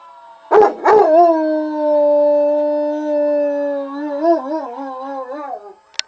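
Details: Domestic dog howling along with a played fire truck siren: two short yelps, then one long steady howl that wavers and dips near its end, followed by a faint click.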